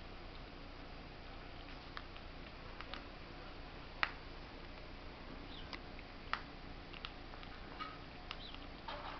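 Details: Smrda, a squirrel nicknamed Stinky, eating corn: faint, sharp crunching clicks spaced irregularly, a few louder snaps standing out over a steady low background hiss.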